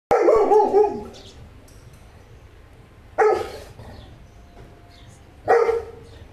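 A Saint Bernard gives three loud, full-throated barks, each spaced two to three seconds apart.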